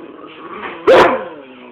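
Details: A German Shepherd and a Miniature Pinscher together, recorded on an Android phone; a single sharp, loud bark bursts out after a stretch of low whining tone, then fades into a softer trailing whine.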